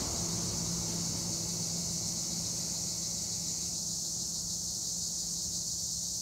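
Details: Tree crickets, Acheta assimilis, in olive trees at Edremit/Güre, Turkey: a dense, unbroken high shrill drone holds steady throughout, over a faint low hum and soft rural background.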